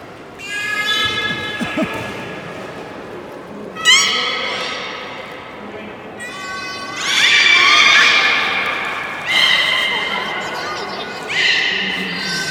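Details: Captive beluga in a public training session at Port of Nagoya Public Aquarium, 16:30 on 24 March 2018, giving a run of nasal, whinny-like harmonic calls in separate bursts every few seconds, some rising and buzzy, with voices faintly under them.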